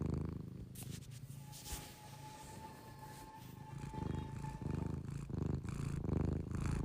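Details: A sleeping cat's low, pulsed snoring, soft and partly masked by clicks and rustling at first, then growing steadier and louder in rhythmic breaths.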